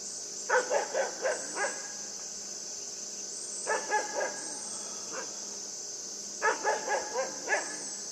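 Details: Puppy named Yufie playing with a buck, giving high yappy barks in quick bursts of four or five, repeated about every three seconds, over a constant high insect-like hiss.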